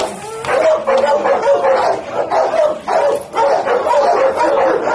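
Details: White pit bull dog, described as very fierce, giving a rapid run of deep, rough barks and growly yelps, almost continuous with little pause between them.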